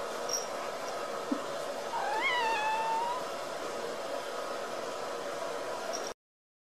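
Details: A Ragdoll kitten, born and raised in a home cattery in central Kansas, gives one thin meow that rises and then falls, lasting about a second, over a steady background hum.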